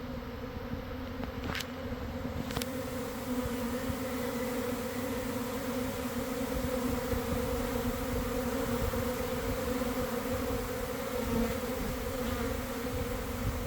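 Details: Honey bee swarm leaving a hive in a garden around one in the afternoon, on a good day after a week of cold, damp weather: a dense, steady, low droning hum of countless wings, with a thin high tone during the first two seconds.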